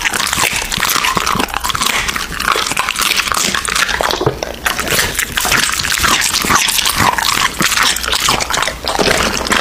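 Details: American Bully eating raw meat at close range: loud crunching and tearing bites mixed with wet slurps, a brief lull around four seconds, then the steady chewing resumes.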